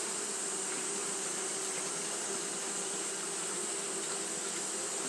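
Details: Japanese honey bees fanning without pause on a hot day, giving a steady, dense hum with low bands and a bright hiss high above, unbroken and even in level throughout.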